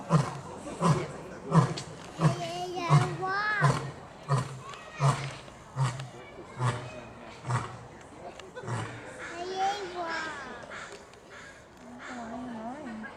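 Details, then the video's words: African lion at Seattle's Woodland Park Zoo, roaring and huffing: a series of deep, low grunting pulses roughly every 0.7 seconds that fade after about eight seconds, with children's voices and chatter over it. "Lion Roaring and Huffing!"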